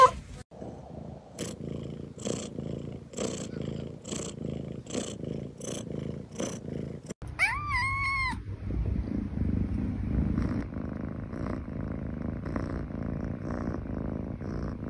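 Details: Domestic cat purring with a steady rough rumble and rhythmic clicks, broken by a short rising-falling meow midway, then continued low purring.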